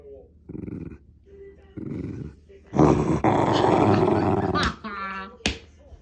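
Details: Shiba Inu at home making a growl compared to an engine: two short low growls, then a loud, long rough rumble of nearly two seconds, followed by a brief human voice.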